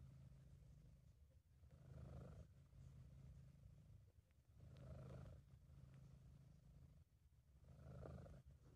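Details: Relaxed, happy British Shorthair cat Sabu purring in an amateur recording: a soft, throaty low rumble that pulses with each breath, three fuller swells spaced about three seconds apart, nothing else audible.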